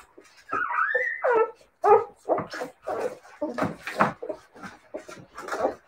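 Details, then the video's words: Whining Siberian Husky puppies: a drawn-out, wavering tonal whine that climbs and then dips, followed by a string of shorter squeaky yelps and whimpers, set against a quiet indoor background. "siberian husky puppies"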